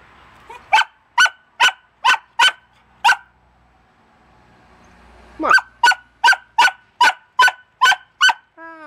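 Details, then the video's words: A pet dog barking in steady bursts: six sharp barks about every half second, a pause of two seconds, then eight more at the same brisk pace, ending on a brief whine. "bark bark bark bark"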